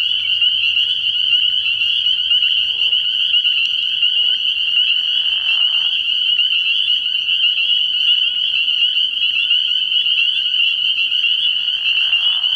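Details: Unceasing shrill chorus of spring peepers at a frog pond at night in early spring, high peeps blurring into one continuous ring, with occasional lower rattling trills beneath.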